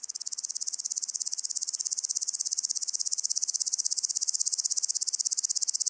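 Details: Woodland grasshopper (Omocestus rufipes) singing on Gaisberg, Austria, 15 September 2023, captured with an ultrasound detector: a continuous high, dry ticking buzz of fast even pulses, about three per second-fraction, steady throughout with no other sounds.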